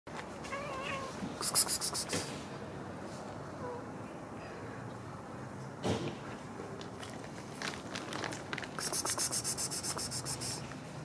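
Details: Kitten with its mother cat: one brief, wavering, harmonic meow near the start, then soft rustling, scratchy bursts and a few light knocks in a quiet room.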